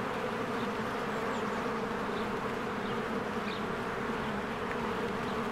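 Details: Many honeybees working busily at their hive in spring; a thick, unbroken buzzing drone with a low hum, plus a few faint distant bird chirps.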